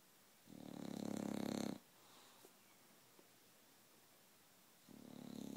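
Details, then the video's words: A half-awake 22-month-old bulldog named Roxy gives rough, buzzing snores indoors, one long snort lasting over a second, then a quiet gap before the next begins. "Snoring bulldog that's not even asleep"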